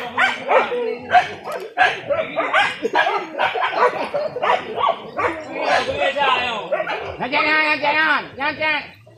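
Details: Village dogs hunting wild boar in a traditional hunt using dogs and spears: sharp barks and drawn-out, wavering yelps and howls rise among frequent loud human shouting and talk.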